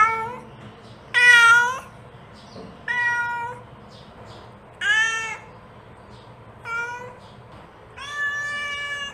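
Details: Mother cat calling her kittens: loud harmonic meows, each under a second long, repeated about every one and a half to two seconds, some rising and falling, over a steady low hum.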